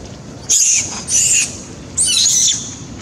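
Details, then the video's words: Young monkey crying loudly after being badly bitten by another monkey, three shrill, piercing high screams of about half a second each, separated by short pauses. "Beving crying loudly scare"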